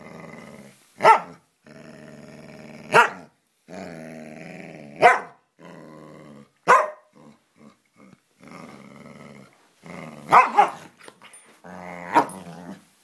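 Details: Samoyed and Siberian Husky in a friendly play fight indoors: long rumbling growls broken by sharp yelping barks about every two seconds.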